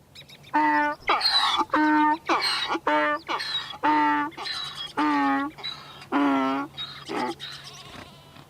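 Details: Repeated donkey braying, a rapid series of about a dozen short harsh hee-haw pulses alternating in pitch, roughly one per second, with a low steady hum underneath.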